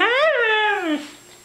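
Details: Mishka, a female Siberian Husky indoors, 'talking' as if saying 'I love you' when prompted: a single clear harmonic vocal note rising then gliding down over about one second, ending in a brief drop, with a person's voice nearby.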